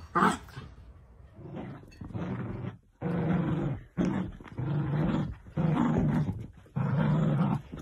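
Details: Miniature dachshund growling during play: long, harsh rumbling growls about a second each, separated by short breaths, after a brief higher yelp at the start.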